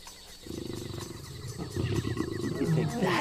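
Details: Lion heard at night. A deep, pulsing, rumbling roar builds in rapid beats, with a thin high trill running above it.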